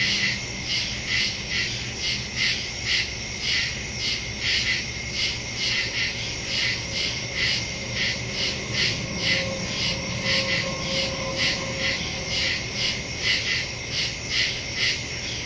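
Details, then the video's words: Crickets calling at night in the woods, recorded on September 2, 2023 with a Samsung Galaxy S22 Ultra and Shure MV88+ stereo microphone. Steady, high, pulsing chirps repeat about twice per second throughout, with a faint thin tone midway. "Crickets in the woods at night"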